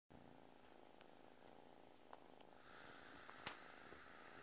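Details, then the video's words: Domestic cat purring while asleep: a steady low rumbling drone with faint rhythmic pulsing, a few soft clicks and a brief sharp tap near the end, room quiet otherwise. "cat purrs while sleeping"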